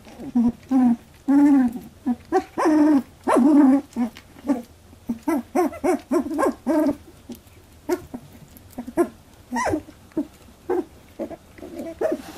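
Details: Labradoodle puppies aged 18 days fight over milk for the first time, giving a long series of wavering squeals and grunting squeaks. The calls are loud at first, then shorter and choppier as the scuffle goes on.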